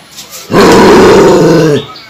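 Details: A female German Shepherd gives one loud, drawn-out, gruff bark that sounds angry.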